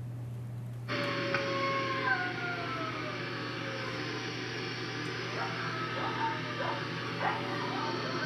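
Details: Coyotes give high, wavering howls that slide downward, with sharp yips breaking in toward the end; the call is described as very high-pitched, distinctive and dog-like, unlike a wolf's.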